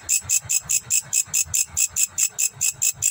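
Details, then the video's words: Grasshopper recorded in Indonesia giving high, raspy pulses in a steady, quick train of about seven a second, with soft low knocking noises underneath. "Grasshopper Voice in Indonesia"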